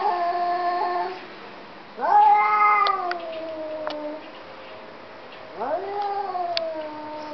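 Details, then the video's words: Two domestic cats talking to each other indoors: long drawn-out meows that rise sharply then slowly fall, answered back and forth with pauses of about a second or two between calls. "Two cats talking"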